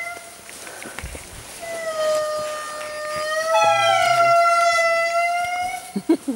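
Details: Indri (Indri indri) in Andasibe-Mantadia National Park, Madagascar, 2016, calls with long, wailing, siren-like notes that overlap and slowly glide in pitch. A baby indri was spotted afterward.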